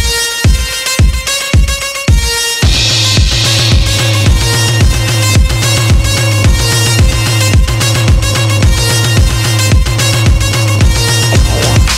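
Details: Loud electronic dance music with a pounding regular beat, heavy bass and bright synth layers, and no animal sounds.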